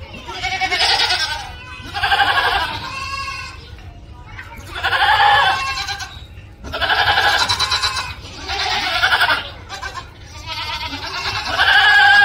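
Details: Goat screaming in loud, harsh, human-like bursts, each about one second long, with gaps of quiet between them and a low hum underneath.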